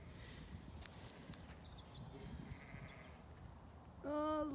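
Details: Zwartbles sheep with lambs on a farm in County Kilkenny, Ireland: quiet rustling and faint background sounds, then one short, clear, steady bleat near the end.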